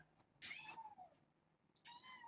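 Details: Two meows from a young kitten among a litter of seven born to a rescued stray mother, playing indoors with a microfiber towel in the evening; high, harmonic, slightly falling cries, one near the start and one near the end, with faint speech.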